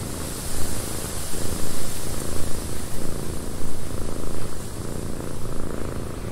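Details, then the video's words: Purring cat inside a cabin with wind outside; deep rhythmic rumbling rises and falls in quick pulses over a steady hiss. "Cat Purring in a Windy Cabin 8 Hours of Blissful Purring"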